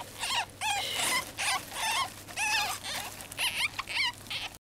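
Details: Young ferret kits, around their cage, squeak in a shrill, overlapping chorus of quick, wavering peeps.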